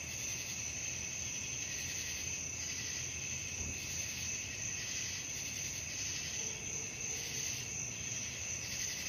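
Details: Night chorus of crickets: continuous high, ringing trills with rhythmic pulses of a lower chirping layer roughly every second, steady throughout, and a low rumble underneath.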